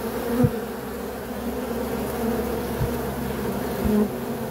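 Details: Honey bees droning steadily in a thick, low hum, with a few brief louder buzzes of single bees passing close.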